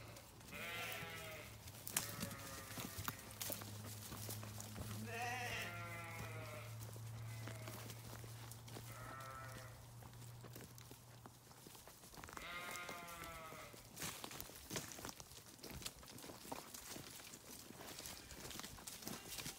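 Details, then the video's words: Sheep giving repeated bleats, some long and quavering and some short, spread across the recording, over a steady low hum and scattered clicks and knocks. "Sheep Sounds"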